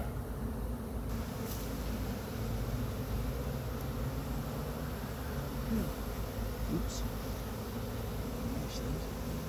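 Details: Honey bee swarm on a pine tree in Chattanooga being gathered into a box by a beekeeper; steady low droning hum throughout, with faint brief knocks and rustling over the buzz.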